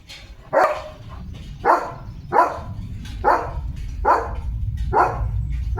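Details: Leo, a German Shepherd, out in open green countryside with his owner during the rainy season, gives six loud, deep barks spaced roughly a second apart over a low rumbling background.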